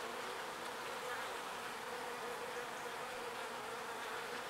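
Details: Foraging bees bringing pollen back to the hive, a steady, unbroken drone of many wings buzzing at once.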